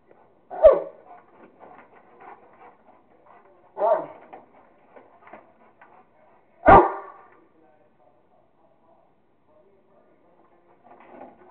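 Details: Kingston, a Rottweiler, playing with a squirrel and having fun, gives three loud separate barks spaced a few seconds apart, with quieter whines and scuffling sounds between them.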